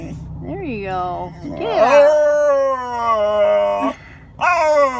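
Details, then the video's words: Alaskan Malamute giving funny noises: a short rising whine, then a long sustained warbling howl that sinks slightly, a brief pause, and a final upward-bending yowl. "Malamute Making Funny Noises"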